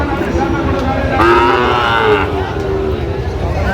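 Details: Sahiwal bull calves at a cattle market, a Chattogram farmer buying, 29 January: one loud harmonic moo of about one second, rising then level, over steady crowd chatter and market hubbub.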